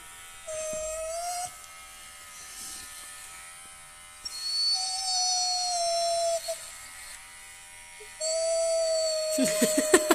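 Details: Husky being shaved gives three long, level, drawn-out howls, each lasting one to two seconds, with pauses between them. A steady mechanical hum runs underneath, and there are a few sharp clicks at the end.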